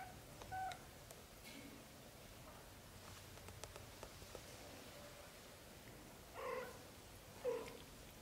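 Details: Young British Shorthair kittens, black golden and blue golden, from a litter of four followed from birth to 30 days old: a faint short mew early, then two louder, clear harmonic mews about a second apart near the end, over soft rustling.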